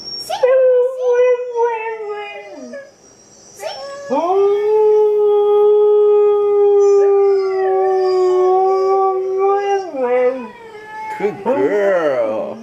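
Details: Siberian Husky at home howling while dog videos play: a few short yips, then a long steady howl held about six seconds, ending with lower slurred notes and brief talking-like sounds.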